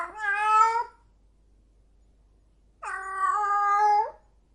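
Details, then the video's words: Two long, drawn-out howls from a cat in heat, each about a second and a half of steady, nasal wailing with a slight rise, split by a pause of almost two seconds of silence. "cat in heat"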